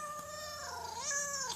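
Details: Pet cat asking for food with an odd voice: one drawn-out, tonal meow lasting about a second and a half, sliding down and then rising again before it fades, with a steady low hum behind it.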